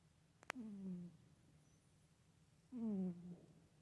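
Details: Sleeping female house cat Soxy gives a humming snore: two clear, low, droning hums, each falling gently in pitch and lasting about half a second, two seconds apart, with a brief click before the first and a quiet indoor drone.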